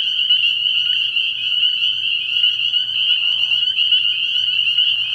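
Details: A night chorus of spring peepers at a frog pond in early spring: countless overlapping high, piercing peeps merge into one continuous ringing wall of sound, with a soft low pulsing hum underneath.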